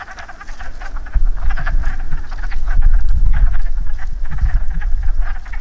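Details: Wood frogs calling in a breeding chorus after rain at a woodland pool: dense, overlapping quacking clucks, rapid and irregular, with steady low rumble beneath.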